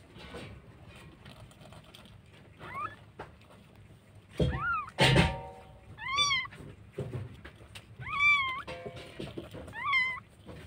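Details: Stray cats in Jakarta, Indonesia, a street cat having given birth to kittens; repeated bright, wavering meows roughly every two seconds, some doubled, over soft background music and loud thumps.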